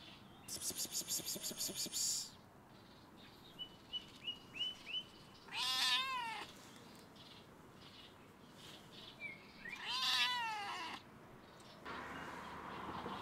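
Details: Stray cat perched on a fence on a campus closed due to coronavirus. It gives two drawn-out, wavering meows about four seconds apart. Rapid rattling bursts come at the start and faint high tones in between.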